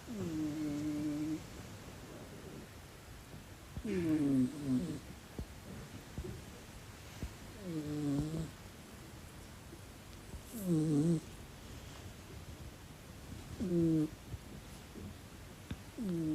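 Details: Black British Shorthair cat snoring loudly while asleep indoors, a low buzzy harmonic snort roughly every three seconds, separated by quiet breathing pauses.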